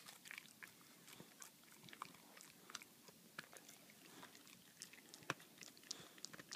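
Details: Boxer dog Baxter working at his beloved bully bone inside a small room, producing scattered sharp clicks and crunchy bites at uneven intervals, occasionally a louder snap.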